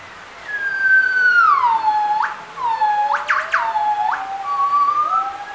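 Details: Captive gibbons at Bioparc Fuengirola singing a duet: long pure whistled notes sliding down then holding, sharp rising upsweeps, and a second voice gliding slowly upward underneath, overlapping in a clear tonal exchange.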